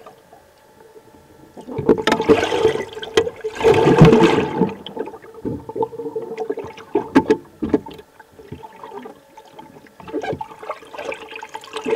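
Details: Bursts of splashing and gurgling water over a steady mechanical hum, rising and falling in loud surges with quieter gaps, and no animal call audible.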